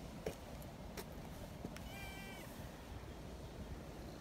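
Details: Young community cats happily gathered beside a milk-tea coloured cat; one short, clear harmonic meow lasting about half a second rises out of a steady low rumble, with a few sharp clicks before it.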